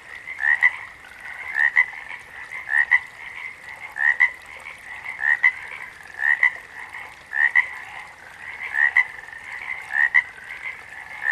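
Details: Calling frogs outdoors: a near frog gives rhythmic two-part croaks, a rising note then a clipped second note, about once a second, set against a dense, continuous chorus of further frogs.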